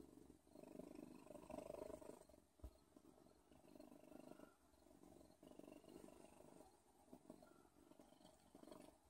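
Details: Purring from Odin, a cat: a grainy, even rumble that pulses gently in several long waves, with a brief sharp click partway through.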